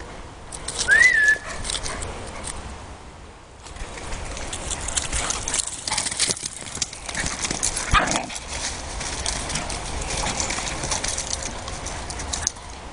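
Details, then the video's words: Whippets play fighting: a short, high rising whine near the start, then continuous scuffling, thumping and rough broadband noise of the tussle with a few faint yips mixed in. "Whippets play fighting"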